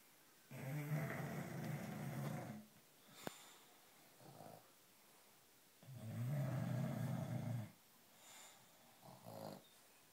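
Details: British Bulldog asleep indoors on its first night home with a puppy, snoring in long rasping, low rumbling breaths of about two seconds each, with softer short snorts between them.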